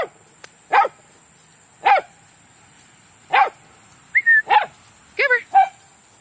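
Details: Several dogs, Taro, Mouse, Honey, Foster and D, at play in a big yard: sharp, mid-pitched barks repeat roughly once a second, with a brief whistled tone near the end and people calling dogs' names between barks.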